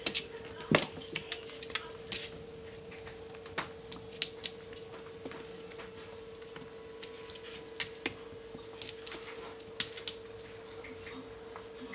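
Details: Indoor clatter of small clicks and taps, like dishes or cutlery, over a steady low hum, with no animal voice heard.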